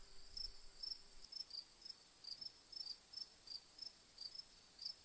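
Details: Cricket. Crickets give short, bright chirps repeated about twice a second, each a tight burst of high notes. Behind them runs a continuous thin, shrill hum, likely more insects trilling together.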